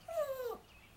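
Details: Yorkshire Terrier Smokey calling for its owner with a short, faint, falling whine-like howl of about half a second over a soft background hiss.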